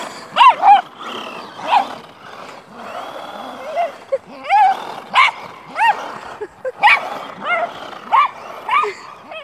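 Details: Welsh Terrier in a frantic chase after a remote control car, voicing rapid high-pitched yelps and whiny barks, some rising then falling, packed closely together with a faint mechanical whir underneath.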